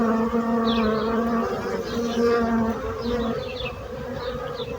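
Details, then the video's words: Continuous bee buzzing with clear low humming tones that waver in strength, overlaid by faint, quick bird chirps in the background. "So brutzit abelles - Bees sound - Bees buzzing sound effect"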